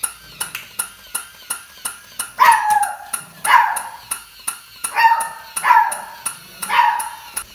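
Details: Beagle puppy, scared of a newly bought puppy toy, gives five short high yelping barks that drop in pitch, spaced about a second apart, over a steady electronic pinging repeating roughly three times a second.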